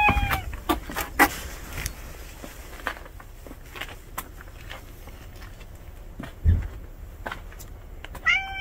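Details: A house cat and a stray cat moving in together for the first time. Two short meows, one at the start and one at the end, with scattered clicks and knocks in a quiet room between them.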